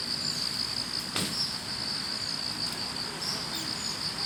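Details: Roadside grass-insect chorus on an autumn morning: continuous high trilling with quick pulses, interrupted once by a sharp click, over quiet low background noise.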